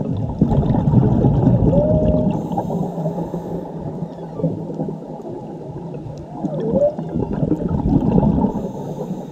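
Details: Whale song from a mother and calf recorded underwater in Mexico: dense low rumbling and crackling noise, with two clear tonal calls, a level whistle near two seconds and a dipping U-shaped moan near seven seconds.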